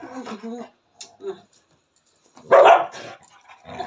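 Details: A male pet dog, jealous and angry after smelling street dogs on his owner's return home, gives one loud, harsh bark after quiet, scattered human speech.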